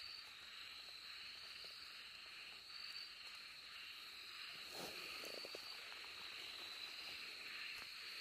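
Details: Okinawa narrow-mouthed frogs give a steady, high buzzing chorus of insect-like rasping calls, recorded on 2 July 2023; finding: Okinawa narrow-mouthed frog.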